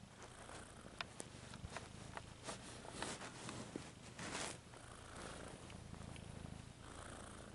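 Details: Domestic cat purring in a relaxing recording: a steady low rumbling purr throughout, with scattered soft rustles and clicks over it.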